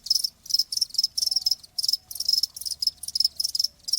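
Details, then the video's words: Chirping cricket in a nature-sound recording meant to calm tinnitus: crisp high pulsed trills in rapid short bursts, several per second, over a faint low steady tone. "귀뚜라미 1시간"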